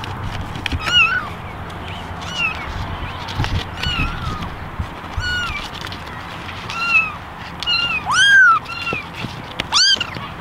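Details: Ten ginger kittens and one white kitten in a basket call for attention; fainter, scattered meows, some bending upward, with a louder drawn-out rising-and-falling meow near the end over a soft background hiss.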